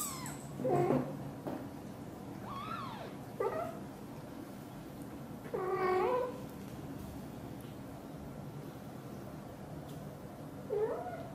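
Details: British Shorthair mother cat Xaxa, blue golden, talking to her tiny kitten Piano indoors while hugging it; several short harmonic meows and chirps, some rising then falling, spaced irregularly over quiet room background.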